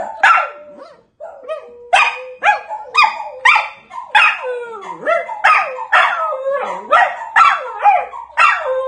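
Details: Dog giving a rapid series of short, bark-like howls, roughly two per second, each a sharp rising onset falling into a wavering tone, with slightly uneven spacing throughout.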